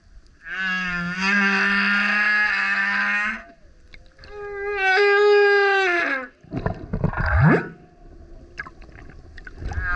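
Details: Loud singing male humpback whale close to a kayak: two long, buzzy, strongly harmonic howls, the second dropping slightly in pitch, followed by rough gurgling burps and low grunts.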